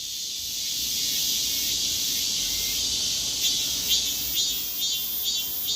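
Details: Korean cicada singing while moving, walking backwards mid-song; a dense, high buzzing drone holds steady, then breaks into a run of quick pulsed surges about twice a second toward the end.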